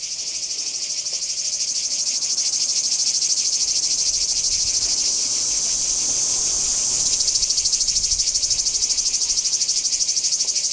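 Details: Singing cicadas recorded at Kardamyli, 2013, giving a loud, unbroken high-pitched buzz that swells slightly in the first seconds and then holds steady with a rapid rhythmic pulse.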